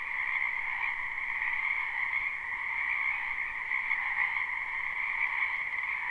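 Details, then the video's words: A crowd of frogs in a spring wetland behind a house, recorded live with no looping, croak together in an even, nonstop wall of trilling at two pitches, the higher one slightly louder. "Ambient Noise for Sleep Frogs"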